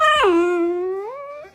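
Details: Dachshund giving a single dramatic drawn-out howl, dropping sharply at the start, holding a steady tone, then rising briefly before cutting off, indoors.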